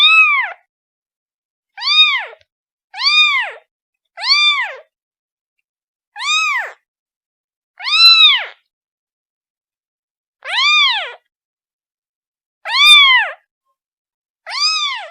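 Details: Young kitten calling to its mother, giving short high mews in quick clusters, then spaced-out single cries with longer pauses; each note bends up and down, background silent.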